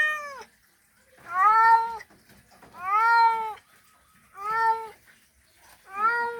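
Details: Male cat giving a mating call to attract a female, with four long, even, moaning meows that arch up and down in pitch, spaced roughly every one and a half seconds, and quiet gaps between.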